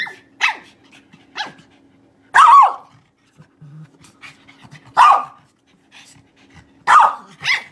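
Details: A chatty pet dog in a funny compilation of talking dogs gives short barks and longer moaning yowls, roughly one every second or two, separated by near silence and a low constant hum.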